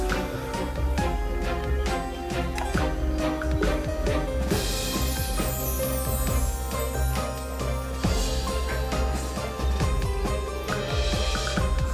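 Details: Bright music with jingling bells and a steady beat fills the whole stretch, with no animal sound heard.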